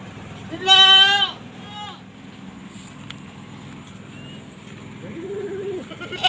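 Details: Goat reviewed before being sold lets out a loud, wavering bleat lasting under a second. A shorter, fainter bleat follows, then a soft low bleat near the end, with people talking quietly in the background.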